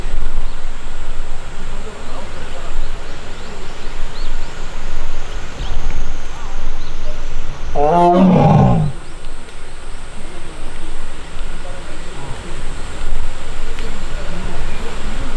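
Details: Taebeom, a young Korean tiger held in the tiger forest of Baekdudaegan National Arboretum, Korea, on August 1, annoyed and crying for its missing sibling Mugung. A single short, harmonic, downward-sliding moan stands out midway through a long stretch of steady outdoor rumble.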